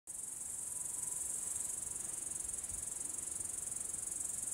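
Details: Upland green bush-cricket (Tettigonia cantans) sings a steady, high-pitched buzzing trill without pause late in the evening, 22:41 on 3 August 2013, at Savonlinna, Finland.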